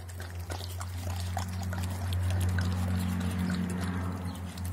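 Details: Doberman pinscher named Armin attacking food, a steady deep harmonic growl running unbroken through the whole stretch, overlaid by scattered wet clicks and crunching from eating.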